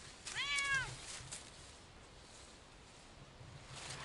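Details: Siamese cat walking off-leash on a hike through a wild forest, one of two cats out exploring. A single short, clear meow rises and falls near the start, followed by quiet outdoor background with faint rustling.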